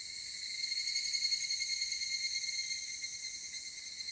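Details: An evening cicada recorded at 19:06 on 23 July 2018 gives a ringing, metallic song of rapid pulses that swell and fade.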